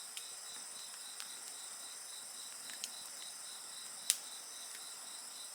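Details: High, rapidly pulsing insect trills layered into a constant chorus, broken by bonfire crackles and one louder snap from the flames.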